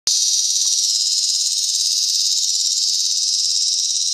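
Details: A bottomland dog-day cicada (Tibicen tremulus) sings a loud, steady, high buzz with faint rapid pulsing from a collapsible cage at Sandhills State Park, Reno County, Kansas, on 2 August 2011. Tibicen lyricen and T. pruinosus sing in the background.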